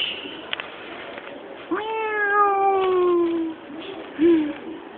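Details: A black cat out at night utters one long, clear meow of almost two seconds that sags gradually in pitch. A faint tick comes before it, and a brief, sharp, higher chirp follows near the end.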